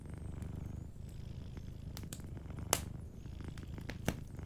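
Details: Sleeping domestic cat purring beside a cozy fireplace: a steady low rumbling purr in soft pulses, with sharp crackles and pops from the fire at about 2.7 and 4.1 seconds.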